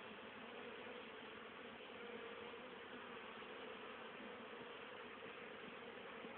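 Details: Honey bees active in October 2010, bringing in plenty of pollen and nectar for winter; a continuous, rich droning buzz with a steady low note, unchanging from start to finish.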